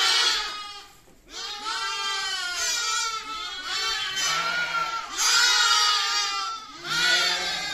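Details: Baby lamb producing long continuous wavering bleats, one brief break after the first second, then sustained quavering cries with a faint low hum beneath.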